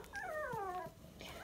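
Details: Sandstone Dachshund puppy, 23 days old and just over a pound, indoors: a single drawn-out whine that slides downward over about half a second, then a faint second whimper.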